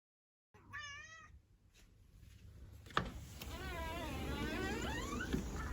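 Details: Female house cat indoors giving a short wavering meow, then a longer drawn-out meow with a rolling, quavering pitch, over a steady low background hum.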